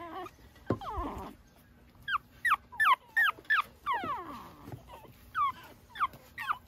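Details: Pekingese puppy outdoors early in the morning, romping around. Short high whimpers and yips repeated almost three times a second, each sliding up then down, with a low steady hum beneath.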